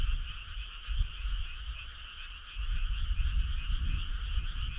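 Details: Frogs calling together on a summer night: a dense, steady chorus of fast pulsing croaks in two bands, one mid-pitched and one higher, running unbroken under a deep low rumble.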